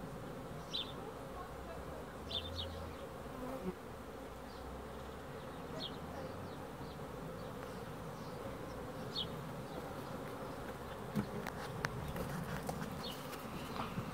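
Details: Continuous low droning of honey bees, an even hum with a few scattered high chirps and some faint clicks toward the end.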